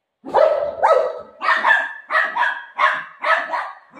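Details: Playful golden retriever barking at its owner during a game, having snatched her dupatta: seven rapid, ringing barks roughly every half second, steady in pitch and loudness, with no other clear sounds.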